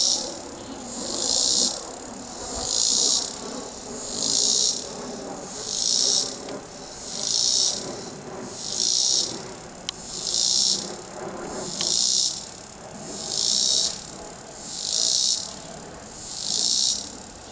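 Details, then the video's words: Cicada singing in a tree: loud, high buzzy bursts that pulse regularly about every second and a half, swelling and fading in an even rhythm, with a faint low background hum and one sharp click. "Cicada singing"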